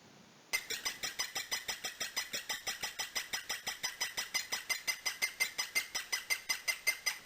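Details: A guinea pig "sings", chirping high bird-like notes repeated steadily, nearly three per second. The meaning of this song is unknown, only a minority of guinea pigs do it, no particular situation triggers it, and the animal stays frozen.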